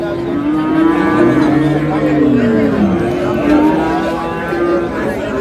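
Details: Improved-breed dairy cows and calves at Ambari haat livestock market, Dinajpur, Bangladesh, on 17/4/26: a long, low lowing moo that slides downward midway, then a second steadier moo, over constant market chatter and crowd noise.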